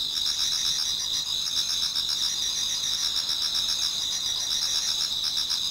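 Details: Autumn insects in a Japanese garden toward dawn, many singing together: continuous shrill ringing bands with rapid pulsed chirping beneath, an unbroken nocturnal chorus.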